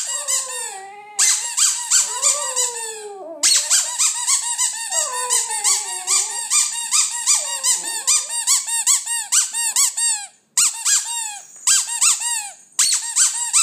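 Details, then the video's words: Westie singing with almost no break: high squeaky yips layered over long wobbling howled notes that bend down and back up, later turning into rapid repeated squeals. "Westie singing"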